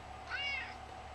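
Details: Talkative pet cat, about 11 years old, a chunky male indoors, gives a single short rising-then-falling meow; a person coaxes him to say hi and talk.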